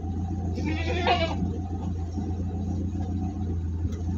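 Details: Large goat in transport, Singosari area of Malang, lets out one wavering, nasal bleat of nearly a second, rich in stacked overtones, against a constant deep engine drone.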